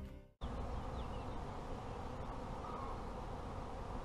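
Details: Honey bees in a beekeeper's apiary: after a brief different sound at the very start, a dense, steady low hum of many bees fills the rest, unbroken and even in loudness.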